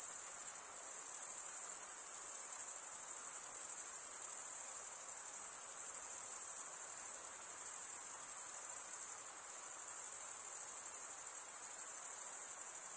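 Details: Continuous high-pitched chirping of crickets, produced by wing stridulation mostly in males, a steady shimmering drone with gentle swells in intensity over thirteen seconds, free of other noise.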